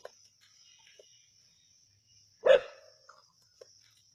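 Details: A single sharp, loud bark from native dogs hunting a snake at Keezhadi, set against a continuous high-pitched insect drone and a few soft ticks.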